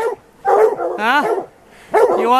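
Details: Plott hounds of white deer type baying on a tom mountain lion during an afternoon hunt; loud harmonic barks with a rising-falling drawn yowl, bursts separated by short pauses.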